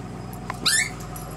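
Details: A short, high squeal from Cavalier King Charles Spaniel puppies of Una's 2009 litter, with Blaze and Yamka, at a registered breeder. A faint squeak comes first, then a bright, harmonic-rich cry lasting a fifth of a second, above a constant low hum.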